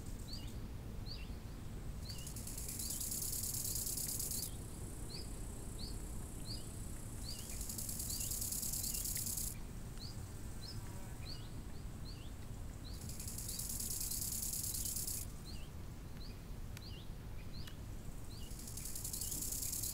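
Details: Summer lakeside crickets give loud, high-pitched shimmering trills in bursts of two to three seconds, alternating with quieter gaps. Repeated short, rising bird whistles continue throughout over a constant low rumble of wind.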